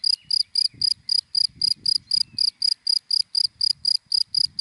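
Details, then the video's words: Cricket chirping in dry grass in the daytime: short, high, bright pulses about four per second, steady and evenly spaced, with faint low rumbles beneath. "Sound of Cricket in Dry Grass in the Daytime"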